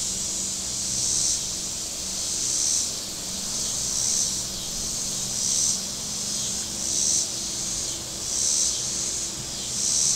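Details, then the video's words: A hot Saturday at Table Rock Lake, southern Missouri, with cicadas singing from the shore: a shrill hissing buzz that rises and falls in regular surges roughly every one and a half seconds, with distant boat motors humming low. "Boating Lake Sounds and Cicadas"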